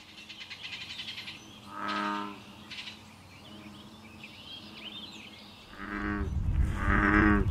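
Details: American bullfrogs chant at Basha Kill, New York, in May, giving deep, droning, moo-like notes in half-second bursts, one after another and then overlapping, while small birds chirp faintly in the background.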